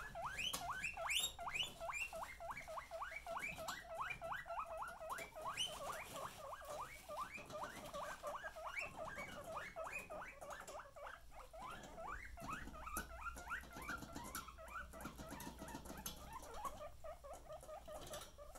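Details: Several pet guinea pigs eating, giving a rapid, continuous series of short rising squeaky notes, about two to three a second, over a soft rustling background.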